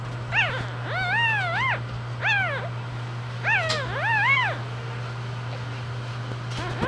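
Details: English bulldog newborns, a litter with two females and a male, cry in drawn-out wavering squeals that rise and fall, about five calls in irregular groups over a constant low hum.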